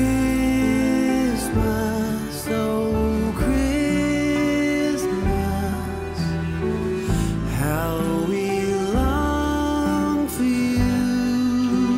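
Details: Soft, sad-sounding instrumental music with sustained sliding tones runs throughout, with no animal voice.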